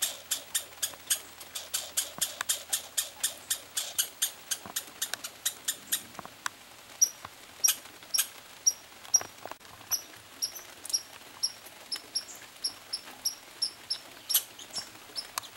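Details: Pine squirrels dueling over peanuts on a summer trip: a fast run of sharp clicking chirps, roughly three per second, thinning into sparser high ticks and squeaks in the second half.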